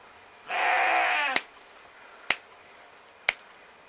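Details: Romanov sheep bleating during hoof trimming in spring 2019, Tver Oblast, Russia, on a farm where the sheep spend most of their time in a stall. One strained, harmonic bleat lasting under a second, then three sharp snipping clicks about a second apart.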